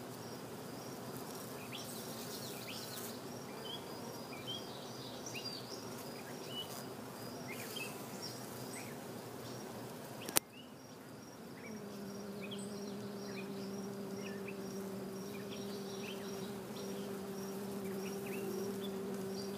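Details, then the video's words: Western honey bees in a bee yard, lapping sugar water sprinkled on their frames; a low, broad hum of many bees, then after a sharp click a steady droning wingbeat tone with a fainter overtone, while crickets chirp softly and repeatedly high above. "Honey Bees Lapping Up Sugar Water"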